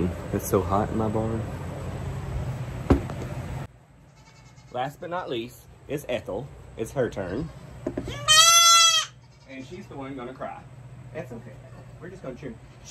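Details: Baby goats during hoof trimming: one loud, wavering, high bleat rises sharply for about a second midway, with a person talking before and after it and a low steady hum underneath.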